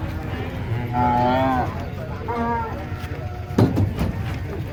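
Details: Giant cattle being unloaded from a truck give a long, tonal, harmonic moo lasting under a second, then a shorter, lower moo. People talk in the background and a sharp clatter follows.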